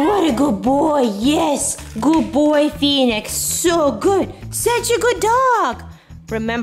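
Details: A male Basenji, being trained with treats to yodel and baroo, howls in wavering, arching yodel-like notes over background music, possibly while recordings of his own sounds are played.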